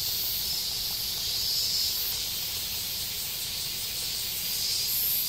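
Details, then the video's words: Japanese cicada chorus on a forest stretch of the Tokai Shizen Hodo below the Yoro Mountains, heard as a continuous shrill, hissing wall of sound with gentle rises and falls in loudness and no other clear noises. "Marching to a Japanese cicada sound track."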